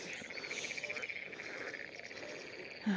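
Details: Frogs croak at a pond during a fishing outing, a fast pulsed rattling trill running almost without pause.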